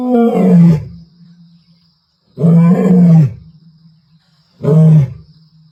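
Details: Powerful roaring of a lioness from the Ntsevu pride, 29 March 2024: three heavy, throaty moaning bursts of about a second each, spaced roughly two seconds apart, each dropping lower at its end, with a faint steady high hum.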